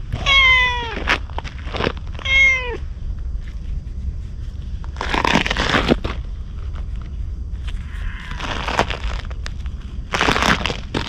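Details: A stray ginger tabby cat seeks protection from a man, recorded outdoors with a GoPro HERO8. Two bright meows come in quick succession, followed by scattered rustling and scraping noises against a low, steady background hum.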